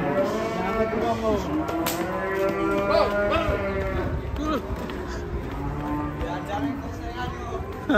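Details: Raging cow, agitated because a rope is choking its neck, before it charges an old man; long harmonic lowing moos overlap one another, with background music throughout and brief voices.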